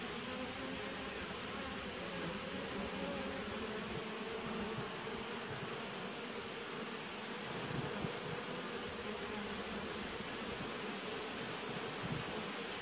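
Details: Recorded 19 September 2018 at a nuc colony started in 2017, bees produce a level, sustained buzzing drone with a low band and fainter overtone, unchanging across the stretch, under steady background hiss.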